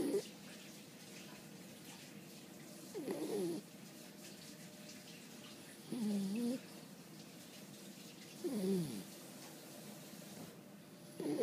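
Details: Snoring of Boo-chan, a French Bulldog drowsy after a long play session: whistling, wobbling nasal snores repeat about every two and a half seconds, five in all, over a faint indoor hiss.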